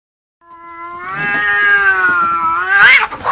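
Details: Domestic cat fighting, giving a long drawn-out wailing yowl that holds steady then rises into a harsh screech near the end; a brief exclamation follows.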